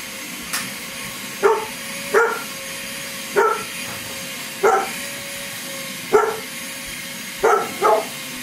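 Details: Luna, a Great Pyrenees that loves the vacuum cleaner, barking indoors: seven deep, resonant woofs, one every second or so, the last two in quick succession, over a steady droning machine hum.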